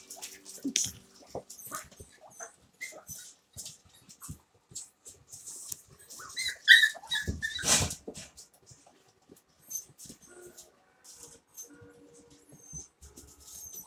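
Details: Havanese puppies playing together indoors in an office; scattered short high whimpers and squeaks, with clicks of paws and toys and a few louder bursts mid-way.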